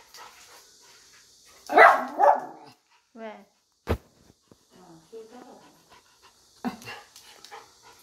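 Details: Excited Schnauzer barking on grooming day: two loud, harsh barks close together, then scattered softer yelps and a sharp knock, with a person talking quietly in the background.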